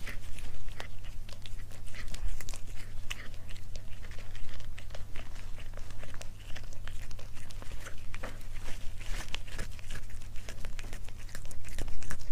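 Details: Cat eating, recorded close up as mukbang ASMR: dense, continuous crunching and biting clicks packed throughout, with a steady low hum underneath and no calls.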